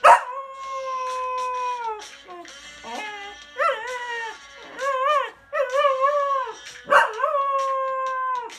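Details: A Cocker Spaniel "sings" along to rock music, howling in long, wavering tones that rise and dip, with brief yips between.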